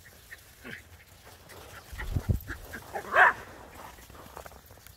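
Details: Dogs, a Border Collie and a Jack Russell Terrier, romp through snow playing chase; soft thuds of paws lead into one loud, abrupt bark, with a few fainter yips scattered around it.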